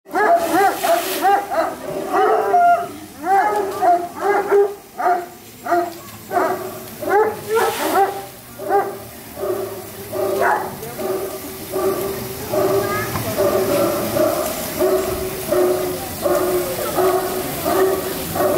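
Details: About 100 hunting hounds in the kennels at Château de Cheverny in France's Loire Valley, barking while waiting to be fed: a dense, continuous chorus of overlapping barks and yelps pulsing in rapid bursts.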